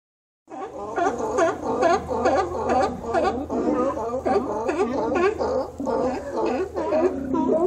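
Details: Sea lions visiting Cowichan Bay on Vancouver Island in autumn, apparently following migrating salmon, give a serenade that often lasts through the night. Here a dense chorus of harsh, harmonic barks comes in rapid succession, several voices overlapping.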